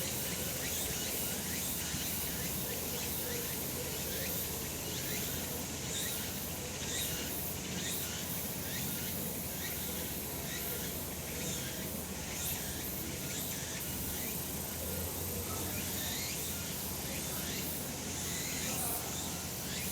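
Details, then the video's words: Summer mountain in the sun, cicadas singing: continuous shrill buzzing chorus, with regular throbbing pulses layered over it and a constant low hum beneath. "セミの鳴き声 夏の山 日なた"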